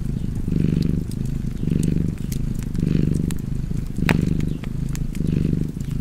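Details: Relaxed house cat purring near a fire, a deep vibrating hum swelling and fading roughly every second, with a loud pop and scattered crackles from the burning logs.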